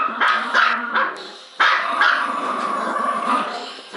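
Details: Trixie, a Bichon Poo, and Sophie, a Malti Poo, two pet dogs barking without stopping; shrill yips come in a quick burst, then after a short pause a longer stretch of overlapping barks.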